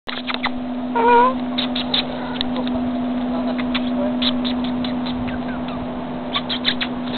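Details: Pet cat giving a short meow, a single rising-then-falling tonal call about one second in, followed by clicks and knocks over a steady electrical hum.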